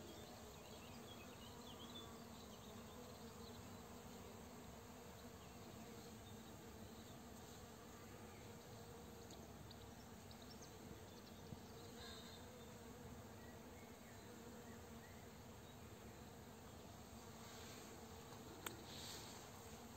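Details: Honey bees foraging for nectar and pollen on flowering rapeseed fields around 16:00 while a farmer sprays nearby; a steady, low droning hum fills the whole stretch without a break, with faint scattered clicks and a brief sharp tick near the end.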